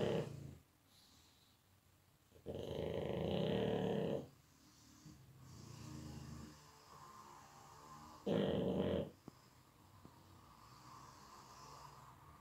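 A pug snores heavily in deep sleep, with loud rasping breaths and quieter wheezes between.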